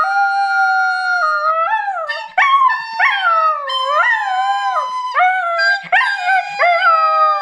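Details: Nine-month-old female border collie that loves singing, howling along with a flute: wavering, sliding tones that rise and fall in long smooth bends and short yelps, over steady held flute notes throughout.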